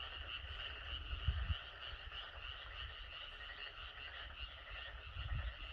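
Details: Outdoor chorus of frogs and Korean narrow-mouthed toads, heard a little fainter. A continuous high trilling hum runs throughout, broken by two short clusters of deep croaks near the start and the end.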